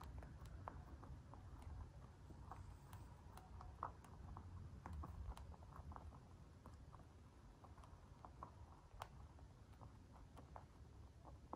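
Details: Crunchy eating of a free-range white mini lop bunny, dwarf breed: crisp little crunches arrive in close bursts, then thin out toward the end, over a quiet low hum.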